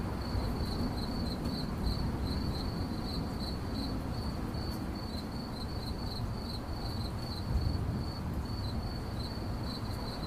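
A cricket chirps steadily, high pulsed trills repeating rapidly over a low background rumble.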